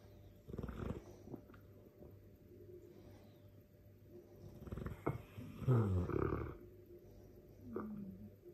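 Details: Dogue de Bordeaux asleep, snoring: low rough snorting breaths at irregular intervals, a longer louder rattling snore midway, and faint wheezy sounds between.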